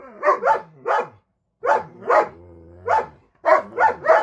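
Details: A female Siberian Husky angry at a Belgian Malinois husky mix that crossed a line gives short, harsh, repeated barks and yelps while showing her mean bitey face.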